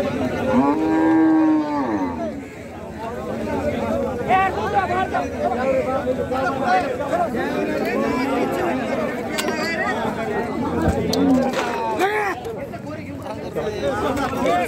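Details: Khillar cattle at Neknoor market in Beed, a bull said to be stolen; a long harmonic moo rises and falls in the first two seconds, followed by dense crowd chatter and other brief lowing under market noise.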